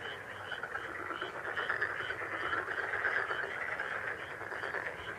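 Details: Lucky frog sound for healing and meditation: an unbroken chorus of fast, rattling, pulsed croaks at a mid pitch, many callers overlapping, with faint higher chirps repeating above.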